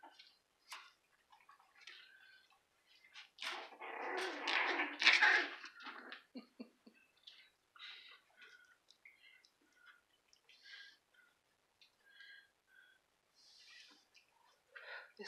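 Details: A litter of Cairn Terrier puppies indoors, letting out a loud burst of high, harsh squealing yelps lasting a few seconds, followed by scattered short, soft whimpers and squeaks, with faint human speech in a small room.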